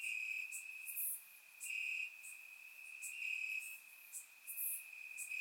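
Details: On a warm Bulgarian summer night, crickets call from the grass: a continuous shrill tone swelling into louder stretches roughly every one to one and a half seconds, with short bright higher chirps layered on top; surround-microphone recording.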